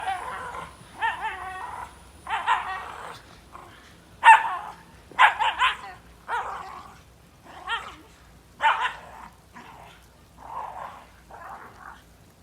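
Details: A Shiba Inu playing hard in snow gives about a dozen short, harsh barks and yelps at irregular intervals, some in quick pairs, with a few softer whining notes between.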